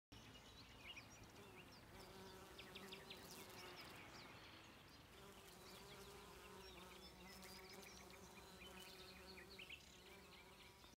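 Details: Bees foraging on wild fennel flowers in the mountains of Alicante, Spain: a soft, steady droning hum with faint swells, while thin high chirps flick in and out in the background.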